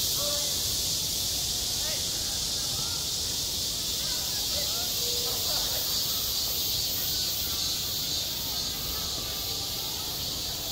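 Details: Midsummer cicadas at a school playground keep up a loud, continuous, shrill hiss of buzzing; faint distant children's voices rise and fall beneath the drone.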